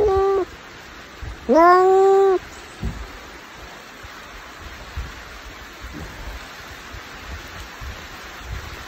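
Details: A cat's meow tail is followed by one strong, rising then steady meow of nearly a second; the rest is quiet hiss with a few soft knocks.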